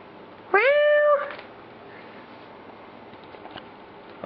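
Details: Domestic cat giving a single clear meow while its people goof around with it indoors. The meow is steady and drawn out, followed by quiet with faint room noise and a brief sound at the end.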